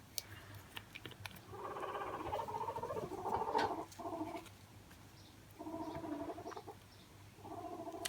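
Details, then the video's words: Pet guinea pig heard in the background of a living room, giving low buzzy, chattering bursts in three separate bouts over a few seconds, with faint room noise and small handling sounds. "That's my guinea pig you can hear in the background."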